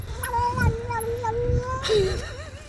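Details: Stray cat meowing while eating food poured out for it, a long steady mew with a slight wobble, then a shorter falling cry; people talk quietly nearby over low background rumble.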